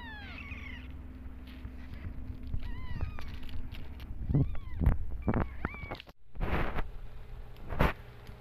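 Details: Mother cat with two kittens feeling unwell after antibiotics: a few short thin meows early on, then handling noises, rustling and thumps over a low hum.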